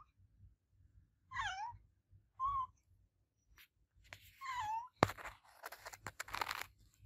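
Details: Olevia, the adopted cat, gives three meows, one long, one short, one drawn-out. Clattering and rustling noises then follow.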